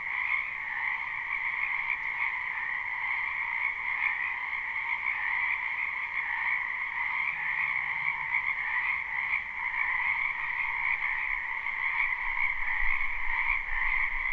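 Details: Spring chorus of many frogs in a backyard wetland, recorded live: unbroken layered trilling in a high band with a lower companion band, steady and even, with faint low rumbles drifting underneath near the end.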